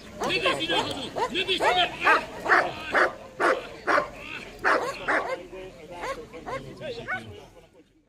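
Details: American Staffordshire Terrier in a guard-and-protection demonstration at a dog school in Komárom, 2015. It barks fast and repeatedly, about two barks each second, with the barking fading near the end and some voices mixed in.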